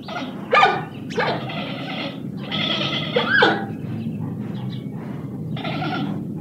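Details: Giant panda giving harsh, goat-like bleats in short bursts about a second apart, a louder wavering bleat mid-way, then a pause before a last bleat, over a steady low rumbling background.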